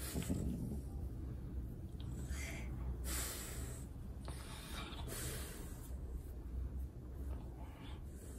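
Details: French Bulldog getting a belly rub, giving short breathy snorts: quiet low rumbling breaths broken by a few sharper hissing bursts around the middle of the recording, with no other clear sounds.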